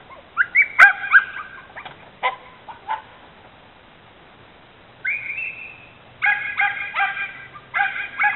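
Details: Border Terrier mix barking at a bicycle in the driveway, a dog that dislikes bicycles: scattered high yelps, a quiet gap, then a drawn-out whine and a fresh run of sharp barks.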